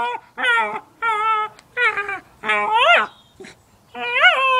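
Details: Cairn Terrier excited over a new toy, producing five drawn-out nasal whimpers, some flat and some swooping up then down in pitch, about a second apart; a small indoor room with faint background.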